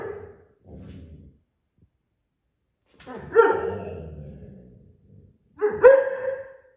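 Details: German Shorthaired Pointer puppy, loud and rebellious early in the morning indoors, gives two loud barks about two and a half seconds apart, each with a rising onset and a drawn-out rough tail, after some low muffled sounds.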